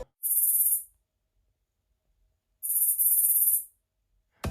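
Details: Captive giant Megalodon katydid kept in a terrarium and fed mainly fruit, singing quite loudly at night. Two loud, high, buzzy rasping bursts sound about two seconds apart, the first under a second long and the second slightly longer, with silence between them.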